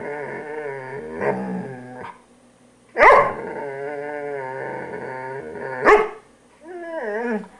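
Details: Nearly continuous, throaty, harmonic growling from a poodle while being groomed. Two loud, sharp barks about three seconds apart punctuate it, and a rising-falling whiny growl closes the sequence.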